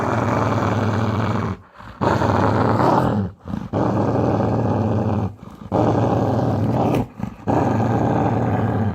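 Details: Angry Labrador retriever growling like a lion: a deep, rough, rumbling growl in five long bursts of about one to two seconds each, broken by short breathing pauses, loud and steady throughout with no other sounds.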